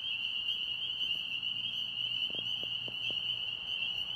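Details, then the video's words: Pond frogs singing in Tennessee: a steady, unbroken high-pitched trilling chorus holds at one pitch throughout, with a few faint low clicks near the middle. "Tennessee Frogs Singing"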